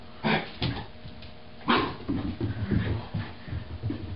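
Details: Roger, an Irish Terrier puppy three to four months old, indoors and confused by his own reflection in a mirror; a few short low woofs and yips with pauses between them, room noise behind.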